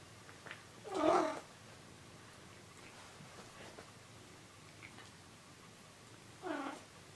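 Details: Pet cat giving one loud, strained meow near the one-second mark, then a shorter, quieter meow about five seconds later, with a quiet room in between.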